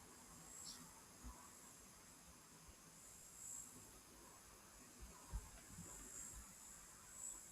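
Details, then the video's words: Cicadas calling on a very hot day at the Nguma waterhole in Etosha. A faint, steady, high-pitched drone runs throughout, with soft low thumps and rumbles beneath and a guide's voice nearby. "You can hear those cicadas calling."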